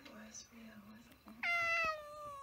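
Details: A pet cat that had hissed gives one drawn-out, slightly falling meow after a quiet stretch with a low hum and soft sounds in a small room.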